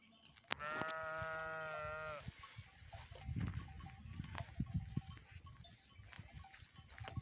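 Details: Sheep on Binboğa Mountain give one long, steady, harmonic bleat lasting about a second and a half, followed by soft rustling, low thuds and faint bell-like clinks.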